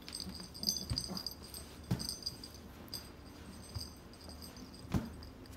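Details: French Bulldog breathing with soft, low snuffling wheezes in short bursts roughly once a second, a few louder snorts standing out, over faint steady high-pitched electronic tones.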